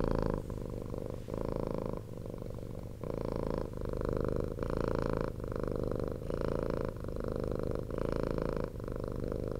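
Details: Rescued former street cat purring nonstop at night, loud motor-like rumble in steady low pulses, with louder swells roughly every second as it breathes in and out, indoors and close.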